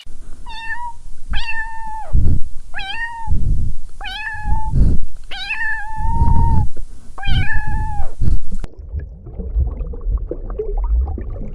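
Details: Kittens stalking and chasing butterflies on grass: six clear, loud meows in a row, each a steady, slightly falling mew, followed by a few seconds of rustling, low background noise.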